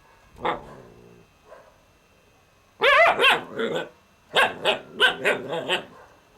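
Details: Kane, an Alaskan Malamute puppy, gives a short yelp, then a pause, then bursts of loud, bending, harmonic barks and yips in quick clusters, each rising and falling in pitch.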